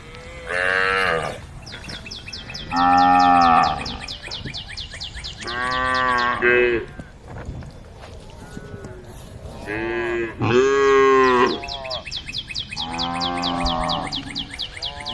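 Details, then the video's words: Cows of a herd roaming the road call to the herd with repeated loud, drawn-out lowing moos every few seconds, some rising then falling, while a fast, even high-pitched chirping pulses in the background. "the sound of cows calling the herd"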